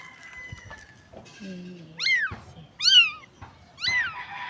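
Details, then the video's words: Stray street kitten, thought to be searching for its mother, gives three loud, high crying meows about a second apart. Each one arches up and then slides down. Faint voices come before them. "POOR CAT CRYING"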